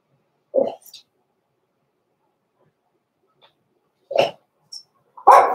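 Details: Blenheim Cavalier King Charles Spaniel puppies, born November 14, 2022, in the indoor Red Barn Cavaliers puppy pen at Christmas time: three short, sharp yappy barks spaced by long silent gaps, the last one louder and fuller.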